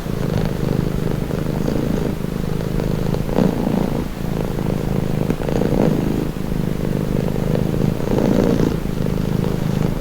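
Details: Domestic cat purring steadily, a low rumbling drone with gentle pulses of breathing swelling roughly every two to three seconds, no other sounds.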